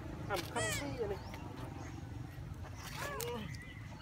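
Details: Hungry monkeys looking for food give quick, bending high calls with strong overtones, a pair at the start and another burst after three seconds. Low rumbling background noise runs throughout.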